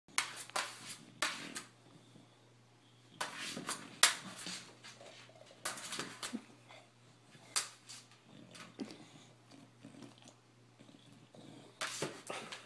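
An English Bulldog gives short, breathy barks in irregular bursts, asking to play.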